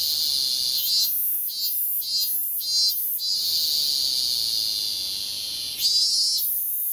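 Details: Cicada producing a series of short, harsh high buzzes separated by brief dips, then a steady drone and a final stronger surge.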